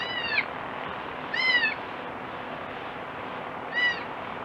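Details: Young goat kid crying: three short, nasal, harmonic bleats, each gently falling in pitch, spaced irregularly over steady background hiss.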